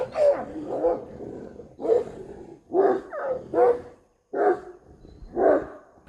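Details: Street dogs fighting over a female: a series of harsh, snarling bursts with growls and barks, about six outbursts spaced roughly a second apart, each rough and broadband.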